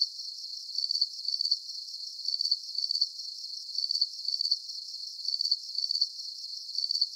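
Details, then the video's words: High, buzzing cricket chirps repeat evenly, each pulse a short rattling trill, mostly in pairs with short pauses between groups; only a faint hiss lies beneath. "Calming Cricket Sounds"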